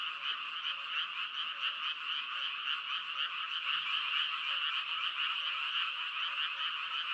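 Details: Dense frog chorus of overlapping croaks forming a continuous buzzing wall of sound, pulsing unevenly and swelling slightly midway, with nothing else audible.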